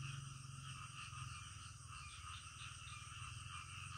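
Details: Night chorus of frogs, a continuous blend of fast, throbbing low croaks and shimmering higher trills that waver gently in loudness.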